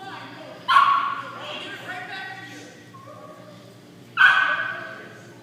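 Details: Beauregard, a Pekingese dog, gives two short, sharp, harmonic-rich yipping barks about three and a half seconds apart, with faint human speech and quiet room noise between them.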